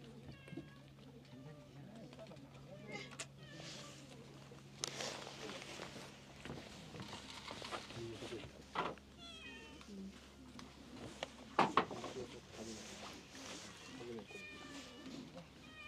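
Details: Stray cats at lunchtime at an island station in Japan; several short, rising-falling meows come at irregular intervals, mixed with people talking nearby and a steady low hum in the background.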